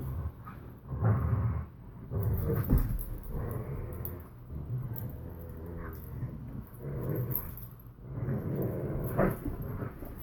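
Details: Borzoi with a Collie puppy in a game of tug: rough, throaty growls come in surges about every two seconds. A brief harmonic whine sits in the middle, with scuffling throughout.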